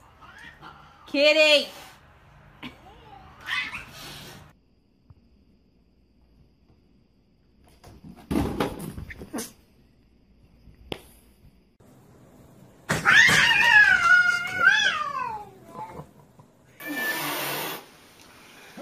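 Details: Domestic cat meowing indoors: a loud wavering meow early on, later a long drawn-out rising and falling meow, with scattered short cries, people talking and bursts of noise between them.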